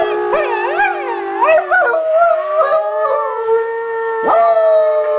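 A beagle howls in long, wavering, wolf-like tones, with several voices overlapping and sliding in pitch.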